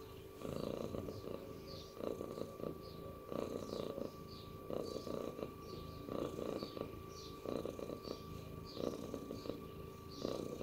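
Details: Domestic cat purring indoors, a low rumbling buzz swelling in bursts roughly every second with each breath, over a steady faint electrical hum.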